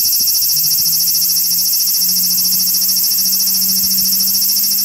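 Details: Evening song of a large brown cicada perched on a park tree branch after 6 pm, walking slowly while calling: an unbroken shrill, high-pitched buzz pulsing quickly and evenly, with a faint low hum beneath.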